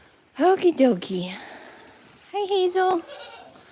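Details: Goat at The Willful Goat Farm & Home bleating in two short bursts, the first quavering and falling, the second a steadier wavering cry about a second later, in a quiet setting.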